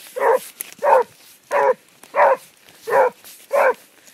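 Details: Basset Hound on the track barking six times in quick, even succession, each bark a short, rough, chesty burst separated by brief silences.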